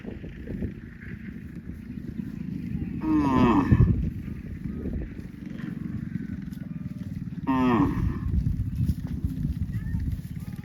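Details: Cows driven by cowherds toward the farm across vast green rice fields, giving two short, harmonic moos about four seconds apart, each rising then falling, over a steady low rumble of outdoor background noise.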